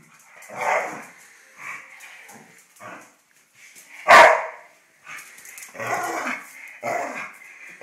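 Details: Two Irish Terriers squabble, recorded in May 2010: continuous rumbling growls and grumbles rise and fall, broken by one sharp loud bark in the middle.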